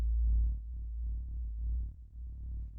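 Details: Fin whale song recorded as seismic ground vibrations by a coastal citizen-science seismometer: deep, rumbling low pulses about 1 second long, repeating every 10–15 seconds.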